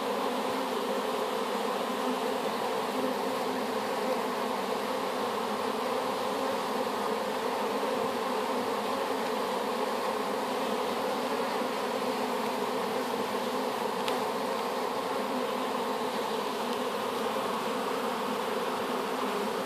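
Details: Swarm of honey bees freshly put into a hive after collection from an apple tree; steady, unbroken humming with stacked low tones, constant in loudness throughout, a single faint tick midway.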